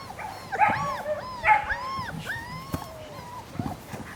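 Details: Three-week-old German Shepherd puppies let out drawn-out, wavering whines and sharper squeaky yelps, two or three voices overlapping, in a quiet setting.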